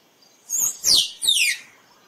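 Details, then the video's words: Calling squirrel, recorded as a lure for photography: three harsh, piercing chirps in quick succession, each sweeping downward from very high pitch, the last one longest and raspiest. "เสียงกระรอกร้อง คมชัดไว้ต่อ squirrel sound"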